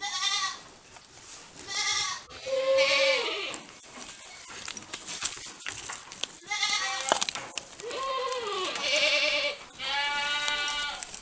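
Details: Saanen dairy goats on a farm in Gunung Sindur, Bogor, Indonesia; several loud wavering bleats, some falling in pitch, overlapping with hissy background noise and clattering.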